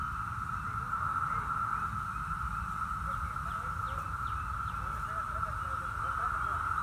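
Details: Seventeen-year Brood X periodical cicadas in Virginia, 2021: a continuous, even mid-pitched drone fills the air, while a person talks quietly in the background.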